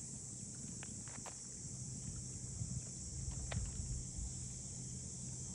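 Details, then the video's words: Cicadas in the port townscape of Ine no Funaya, north of Kyoto, Japan, give a steady, high, unbroken hiss-like drone. Low rumble and scattered footsteps and clicks sit beneath it. "cicadas voice"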